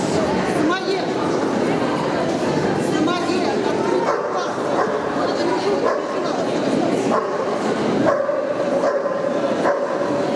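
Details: Samoyeds at a February 2017 dog show in Penza. Short, sharp barks and yips repeat through steady crowd chatter and loud human voices in a reverberant hall.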